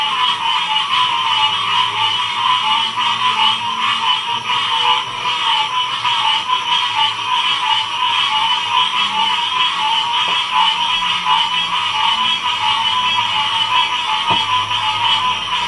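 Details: A dense frog chorus recorded in 2016 at Ocean Springs, Mississippi: many voices merge into a steady, shimmering trill that never lets up.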